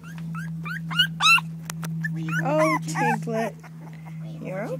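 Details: Four-week-old puppies whimpering and yipping: a run of thin, high rising-falling squeaks, then louder wavering whines, over a steady low electrical hum while a woman speaks softly to them.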